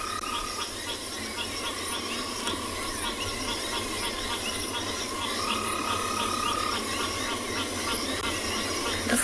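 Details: Frogs in a loud chorus after rain on a February afternoon in a South African private game reserve, drowning out other sounds; dense overlapping trills and rapid pulsed calls at several pitches, repeated continuously without pause.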